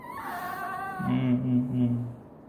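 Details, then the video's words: Female pet fennec fox using a sweet voice toward her male owner: a high, wavering whine with stacked overtones sliding downward, then a lower, steady droning moan lasting about a second. "sweetens his daddy with a very sweet voice"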